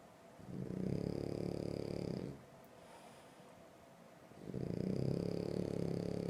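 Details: A sleeping French Bulldog snores in two long, loud, rasping bouts, each lasting about two seconds, with a quiet pause between them indoors.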